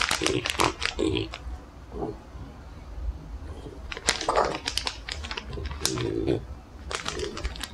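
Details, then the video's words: French Bulldog eating dog treats indoors: crisp crunching clicks come in irregular bursts, mixed with wet snuffling and short grunting snorts between bites. "ASMR Frenchie Reviewing Dog Treats"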